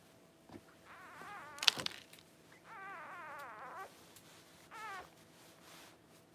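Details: Newborn Cavalier King Charles Spaniel puppy during whelping, indoors, born to mother dog Paris among her first puppies: high, wavering squeals with rich harmonics, several short bursts, then a longer quavering cry and a brief final squeak.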